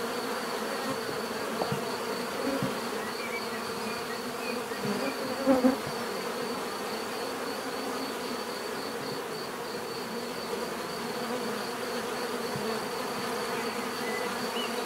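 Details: Bees in a natural setting give a steady, dense hum of many overlapping wingbeats, low and droning, with a faint pulsing high tone above and one brief louder buzz passing close midway.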